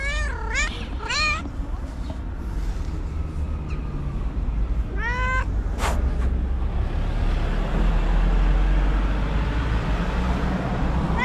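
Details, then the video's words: White cat in an angry mood lets out a quick triple of bent, strained yowls, then one longer scream a few seconds later, with constant low traffic rumble and a sharp click. "Psycho Cat That Screams and Hits: Angry White Cat"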